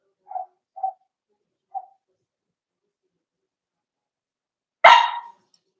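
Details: Four-week-old Cavalier King Charles Spaniel puppies in an indoor puppy pen, being socialized with other dogs: three short, high yips about half a second apart, then after a pause one sudden, loud, harsh bark.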